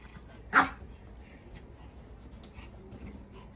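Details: Maltese dog, eager to go for a walk, lets out a single sharp bark, followed by quiet indoor background hum.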